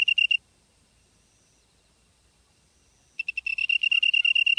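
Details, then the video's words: Grass insect in Byeollae-myeon, Namyangju-si, Korea, September 2016 evening; a short burst of high chirping pulses, nearly three seconds of silence, then the rapid metallic trill starts again and builds. "풀벌레 소리/sound of a bug / живущие в траве /虫の音"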